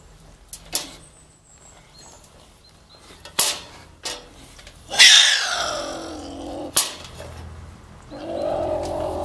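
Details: A beech marten held in a trap; sharp knocks and clatters, then a piercing screech that slides down into a rough growl, more knocks, and a low growl at the end.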